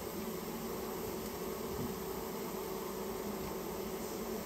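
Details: Japanese honey bee swarm in a storehouse, its colony being taken out. A thick, unbroken humming buzz fills the whole stretch, loud and even.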